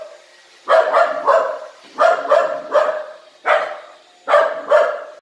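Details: Household dog unsure of a robot vacuum cleaner barks in paired and tripled woofs, harsh and mid-pitched, with short pauses between bursts and a soft motor drone underneath.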